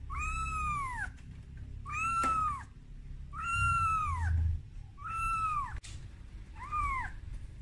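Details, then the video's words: Scared kitten Momo, out of its room for the first time, cries for its mother Amora: five drawn-out, bowed meows about one and a half seconds apart, with a soft low hum and a brief click. "Suara Bayi Kucing Menangis"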